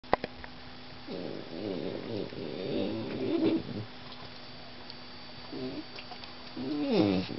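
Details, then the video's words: German Shorthaired Pointer puppy giving a low, wavering whine-grumble of about three seconds with rising and falling harmonics, then a short quiet stretch and a brief upward-then-falling whimper near the end; a steady faint hum runs underneath. "vocal GSP puppy"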